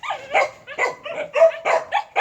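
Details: Jindo, the native Korean breed, giving a rapid series of about seven short, harsh barks spaced roughly a third of a second apart.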